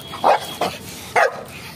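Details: Pug dog gives three short, sharp barks within under two seconds, the last one slightly higher.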